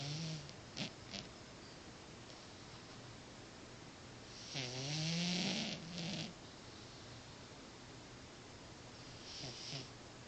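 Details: Mista Kitty, a pet cat, snoring while asleep indoors: a long raspy breath near the middle with a low buzzing tone and hissy upper noise, plus a few faint short snorts early and late against quiet room hiss.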